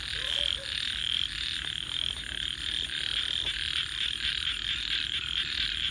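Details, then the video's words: A nocturnal chorus of frogs, shrill and continuous, pulsing in quick waves, with a brief faint lower tone near the start. "and frogs 🐸 Sounds"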